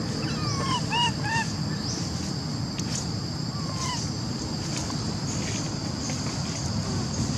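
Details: Lori, a monkey unable to use her legs, calls out to Amari for help climbing a tree among other little baby monkeys: a quick run of short, clear squealing coos with sliding pitch over a steady low rumble and hiss.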